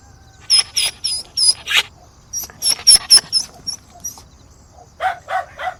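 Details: Dog begging with a string of shrill yips in quick succession, a pause, more squeaky yelps, then three lower short barks at the close.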